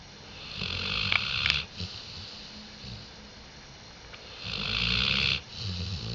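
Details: Diesel the dog snoring on 5 October 2011, a hoarse, wheezy rasp rising into two long loud snores, the second lasting about a second, separated by quieter breathing, with a faint click in between.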